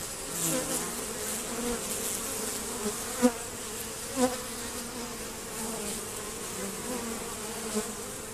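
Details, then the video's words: Honey bees still attempting to rob a hive, the entrance reduced and screened; a softer, wavering buzz with hum bands rising and falling, plus a couple of sharp taps near the middle. "Honey Bee Robbing"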